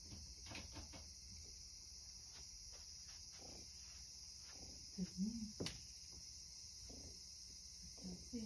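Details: Summer-evening cicada chorus: a continuous shrill buzz running without pause, overlaid by scattered knocks, thumps and a brief murmur of household sounds.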